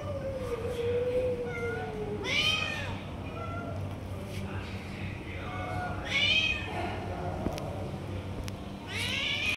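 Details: Stray tiger cat snatching food from other cats while being fed: three loud, arching meows near two, six and nine seconds with rising-falling harmonics, a faint drawn-out lower cry at the start, over a steady low rumble.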